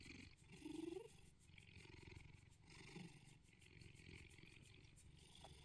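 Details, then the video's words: Morning cuddle purr from a neutered male Bengal cat named Bedford in England. A short higher chirp-like tone comes near the start, then a continuous low rumbling purr rises and falls gently. "Morning cuddles and purrs"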